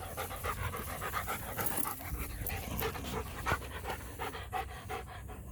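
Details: Joe, a roughly three-year-old show line German Shepherd in Florida, breathes in rapid, rough, airy pants that run steadily across the recording over a faint low hum.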